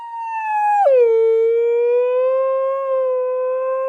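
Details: Pet dog howling from a funny compilation of 'talking' dogs: one long tonal howl that starts high, drops sharply in pitch just under a second in, then holds steady and slightly rising for about three seconds, rich in clear overtones.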